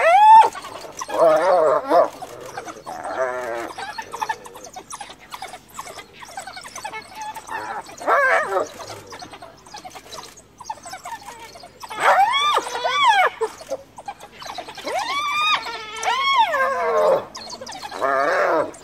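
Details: A mother hyena in Kruger, cornered by wild dogs beside her recently dead cub, calls for clan backup with loud rising and falling whoops and giggling cries. A fellow clan member later comes to the rescue.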